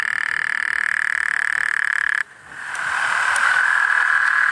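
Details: Common tree frog calling at night: a loud, steady, buzzy trill holding one pitch stops abruptly after about two seconds, then restarts and builds back to full strength.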